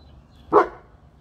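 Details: A single short, loud, deep woof from one of three household dogs, a Boerboel, an American Bully and a Serbian Defense Dog, against near silence.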